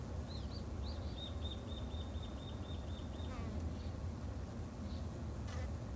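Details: Japanese honey bees kept in a garden hive in Japan by a beginner beekeeper; a constant low droning hum runs throughout, while a bird repeats a quick series of short chirps near the start and middle.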